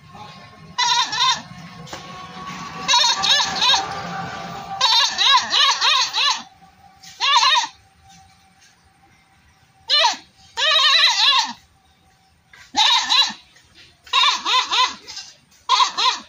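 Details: Repeated goat bleats, quavering and nasal, come in irregular bursts throughout. A low rumbling background is heard during the first few seconds.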